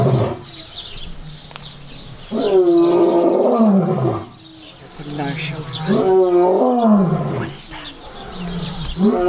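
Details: Lions at a zoo give deep, moaning roars that slide downward, repeated in bursts a few seconds apart.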